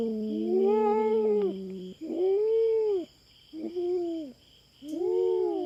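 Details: Feral cat intruding on a farm in the Philippines, unafraid of the camera and facing a black cat: four drawn-out moaning yowls, arched in pitch, with pauses between, and an insect drone behind.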